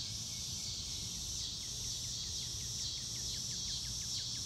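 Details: Crickets outdoors beneath a blue sky keep up an unbroken high-pitched trill. A series of short, evenly spaced, falling chirps repeats about twice per second in the second half, over low background noise.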